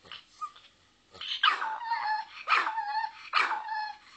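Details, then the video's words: Small pet dog named Lucky barking: after a faint soft yip, three quick high barks come roughly a second apart, each ringing with a clear tonal edge and slight whine at the end. "Doesn't Lucky have the CUTEST little bark?"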